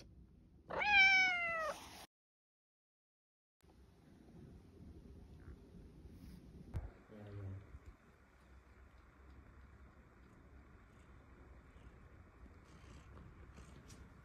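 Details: A Scottish Fold cat begging for food utters one strong, wavering meow near the start, followed by silence, low room noise and a faint short sound a few seconds later.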